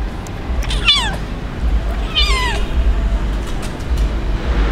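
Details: Kitten abandoned by its owner on the street cries with two clear meows about a second apart, the first sliding downward, the second rising then falling, above low traffic-like rumble.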